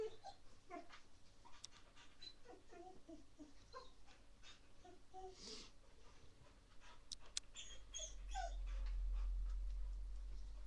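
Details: Baby Rottweiler puppy in a frantic play burst, streamed live: short, scattered squeaky whimpers and grunts come amid scuffling and thumping, with a low rumble of handling noise toward the end.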